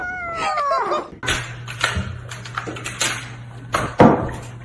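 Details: Domestic cat with one clear meow that slides steadily downward and fades, followed by a low steady hum and scattered thumps and rustling, as if indoors.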